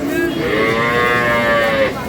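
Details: A single sustained, rich moo fills the whole moment, steady and slightly rising, from improved-breed milk cows and calves at Aftabganj market in Dinajpur on 12/5/26, with faint market noise behind.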